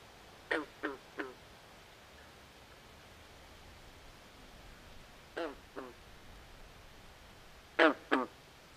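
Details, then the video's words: Nighttime swamp frog calls arrive in short clusters of two or three clipped, quacking croaks, separated by several seconds of near silence with a faint low hum. "Natural Ambient Sounds Of Frogs At Night"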